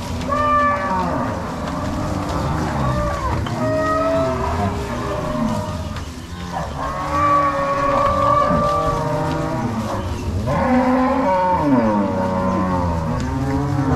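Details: Angus-Nelore crossbred cows being driven by three cowboys and six dogs from corral to pasture on a farm in Ortigueira, Paraná, Brazil, 16 March 2022; many overlapping deep, drawn-out moos, some rising then falling, sounding continuously from the herd.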